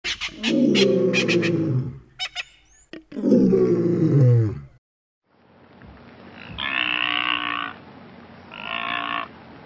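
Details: Blue wildebeest, or brindled gnu, in Kruger National Park: two loud, deep, harmonic grunting calls in the first five seconds, with a few sharp clicks between them, then a pause and two fainter, nasal, moaning calls over a hiss.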